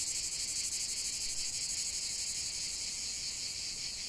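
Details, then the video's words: Singing cicadas fill the air with a sharp, sizzling drone that flutters in fast regular beats, steady from start to end, nothing else clearly heard. "45 min de chant des cigales"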